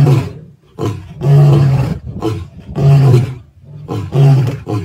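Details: Male lions near Plains Camp, Sabi Sands, South Africa, on 9 April 2024 roar in deep, rumbling bursts, each swelling and fading every second or so.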